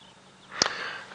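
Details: A hippopotamus in the water surfaces with a single sharp, breathy exhalation, a brief hissing puff, breathing out before breathing in again and going under, during a sunrise safari drive at Djuma Game Reserve, South Africa, April 18, 2017.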